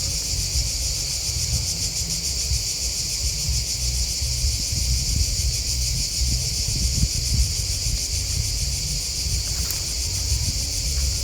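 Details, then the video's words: Steady, shimmering trills of many crickets chirping at once, unbroken throughout, over a low rumble. "Crickets Chirping Sound"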